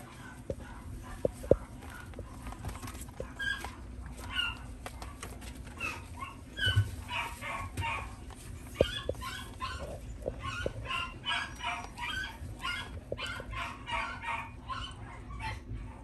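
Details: Black male Shiba Inu puppy giving short, high yips and barks in loose irregular bursts, with soft thuds and faint room noise between calls.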